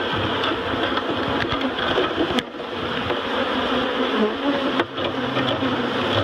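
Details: Honey bees being moved from a barrel to a new home at Miss Bee Haven, just after their queen is found and caged; a dense, steady droning hum of many bees with soft knocks and handling clicks throughout.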